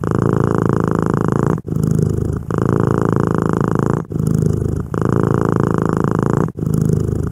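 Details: Domestic cat purring in a close ASMR recording. A heavy, even rumble continues for stretches of about one to one and a half seconds, broken by short pauses at each breath.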